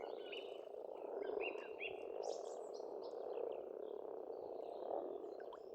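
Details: Pond frogs in spring in Estonia croak together in an unbroken chorus, low and rolling, with several birds chirping and twittering in short bursts over the top.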